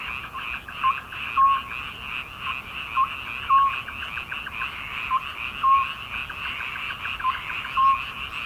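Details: Midsummer frogs in steady chorus, rhythmic pulsed croaking continuing throughout, with short pure tonal notes repeating roughly every second and a half.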